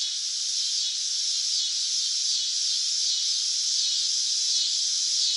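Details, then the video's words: Steady high buzzing of a cicada in summer, an even hiss-like drone with no breaks and nothing else audible. "Cicada Sound Effects | Summer Nature Sounds - Sounds From the Cicada"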